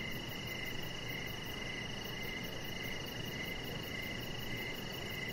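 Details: Crickets in the evening by a deck with decoration lights. Regular chirps sound about twice a second over a persistent high-pitched trill and even background hiss.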